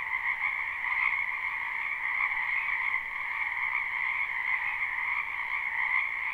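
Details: Live spring recording of many frogs in a wetland: dense continuous croaking heard as a bright, vibrating high trill over a second lower band, level and unbroken with slight swells, free of other sounds.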